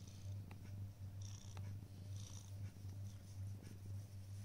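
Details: Black cat waiting on a prayer mat, purring continuously: a deep, even, throbbing rumble with slight pulsing, plus a few faint high ticks and light rustling.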